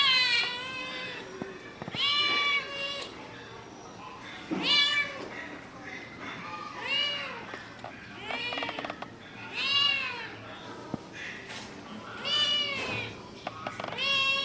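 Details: Baby kitten in a village: high, thin meows repeated every one to two seconds, each rising then falling, over steady background hiss and a little faint speech.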